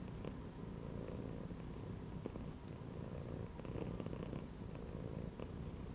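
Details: Cat lounging inside a gym belt, producing a steady low purring rumble that swells slightly and eases in loudness, with a few soft clicks on top.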